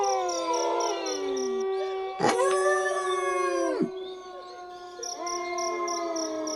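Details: Wolves howling: a howl drops away, then a loud new howl rises sharply, holds steady and falls off at its end. Softer howls follow, all over a steady pulsing insect chirp.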